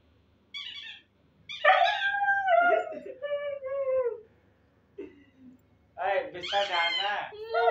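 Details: Siberian husky; begging call; puppy calling its mother for food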